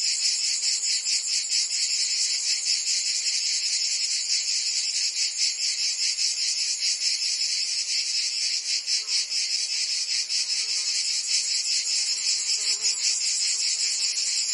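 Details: Provençal summer cicadas fill the air with an intense, sizzling buzz, rhythmically pulsing with slight swells in loudness, and faint soft background sounds underneath.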